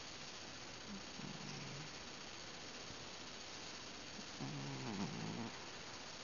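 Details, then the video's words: Domestic cat grunting softly while sleeping or nearly asleep indoors: two faint, low, wavering moans, one brief and one longer near the end, over a steady background hiss. "This Cat is SNORING? ...Mumbling? ...Something? Weird."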